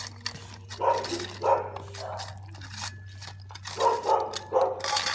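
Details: Dalmatian puppy fond of food utters a string of short, tonal yelps, about five in quick succession, mixed with sharp clicking and rustling noises and a low background hum.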